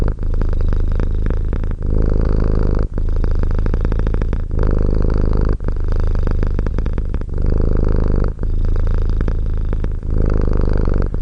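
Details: Steady, loud cat purr, a throbbing low drone that swells and eases with each breath, pausing briefly every one to three seconds, nothing else audible.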